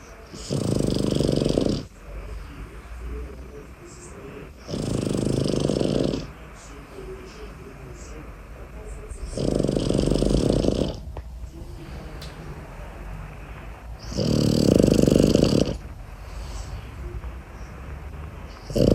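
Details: Boston Terrier puppy named Tyson sleeping away from his cot and snoring: four loud, rasping snore bursts, each about one and a half seconds long, coming roughly every four and a half seconds, with softer breathing between.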